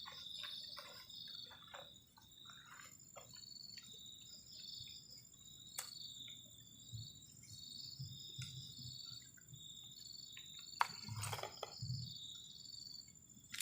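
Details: Crickets on a cold night beside a garden shelter at a forest edge during solo camping; high, thin chirping in short repeated bursts and steady trills, with occasional sharp clicks and knocks from camp activity.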